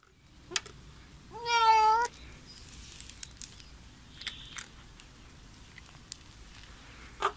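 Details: Loud visiting Bengal kitten making funny sounds while eating: one clear, steady, harmonic meow lasting under a second, then quiet room noise with faint clicks and rustles.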